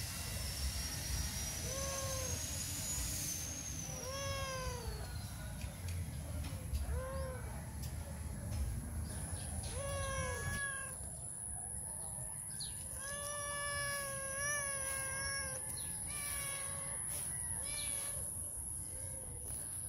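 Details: Socks, a hungry male stray with white feet, meows hard at a back gate to get attention and be fed. Repeated arched meows every one to two seconds, some bending up then down, over a steady hiss and faint hum.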